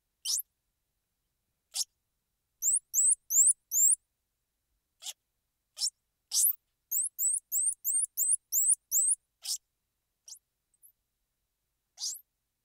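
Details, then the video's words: Squirrel monkey mixing isolated sharp clicks with bursts of piercing, upward-sweeping two-part chirps, delivered rapidly at about two to three per second in runs, then tapering back to sparse clicks. No other sounds are present. "Squirrel Monkey Sound"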